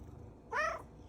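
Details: A domestic cat gives a short, bright meow that rises and then falls, among unusual purring sounds, a sign of happiness or hunger.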